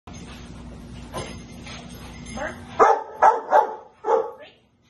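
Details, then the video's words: Rottweiler Anaconda v Schwarzerwald doing protection bite work with her owner in a basement on March 24, 2021; after a stretch of speech and room noise, four loud, harsh barks burst out in quick irregular succession, echoing in the enclosed space. "Rottweiler protection in the basement"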